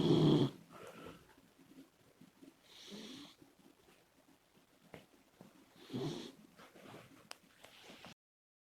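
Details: Komachi, a female Labrador Retriever puppy, snoring loudly while asleep; noisy breathy bursts at about 0, 3 and 6 seconds with quieter rasping breaths between.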